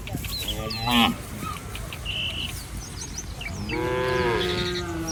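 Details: Two moos from street-roaming village cattle: a short wavering one near the first second and a longer, steady, lowing call later on. Bird chirps and a high tonal note fill the gaps, with traffic-like rumble underneath.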